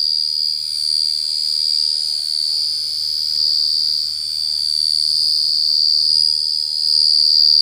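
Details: Cricket calling in a loud, clear, continuous high-pitched trill, one steady shrill tone with a faint higher overtone, slightly swelling and fading in loudness, with no other sounds heard.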